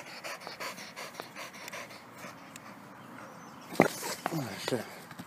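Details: Rapid, steady breathy panting from Penny, a rescue pit bull terrier, during a soccer game of dribbling the ball; near the end a person calls out several sharp "hey" commands over the breathing.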